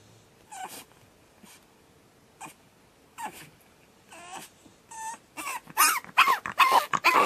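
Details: On his second night, pug puppy Batman starts with scattered soft whimpers and yelps, then builds into a dense run of loud, shrill screams near the end.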